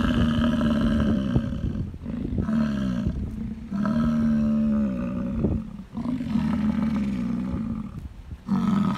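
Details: Deep guttural roaring of a bull American bison during the rut, made to attract females; long, steady, low bellows of one to two seconds follow one another with short breaks, nearly continuous across the stretch.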